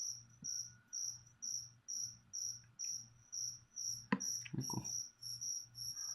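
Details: Crickets kept as leopard gecko food chirp steadily in high, pulsed bursts about twice a second over six seconds, while clattering and knocking from feeding preparations break in near the end.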